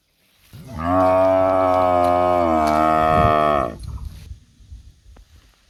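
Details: A tame cow in a shepherd's garden in India gives a long, steady moo lasting nearly three seconds.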